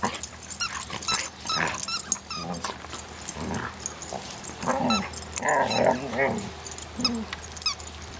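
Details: Two dogs, Bailey and Cooper, at play while a third, Bela, is busy with a toy; rough harmonic growls and whimpering yips come in bursts, mixed with scuffling, clicks and scratching.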